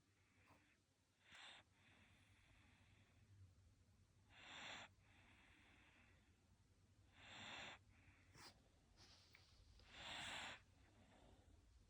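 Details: Sleeping Shiba Inu in Japan breathing noisily in its sleep: soft, hissy snores rise and fall about every three seconds, with a faint whistling edge on a few breaths over a quiet low hum.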